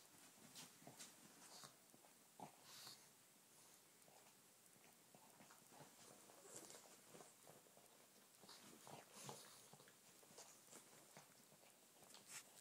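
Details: Pug puppy Che licking his elder pug companion Mowgli, right down to the paw pads, inside a small room; faint wet tongue clicks and smacks come in irregular clusters with a few sharper snaps.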